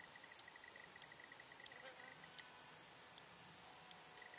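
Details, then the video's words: Large marsh grasshopper in Vendée marshland, France, ticking in crisp, loud single clicks repeated roughly every two-thirds of a second. Another insect adds a thin, high, dotted pulsing underneath. "Large Marsh Grasshoppers Stethophyma grossum"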